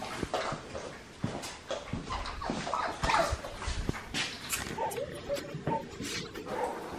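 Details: Indoors, a very social red merle male Australian Shepherd puppy from Magnolia's litter gives short high whimpers and thin yips among rustling and handling noise, with a couple of brief tonal squeaks near the end.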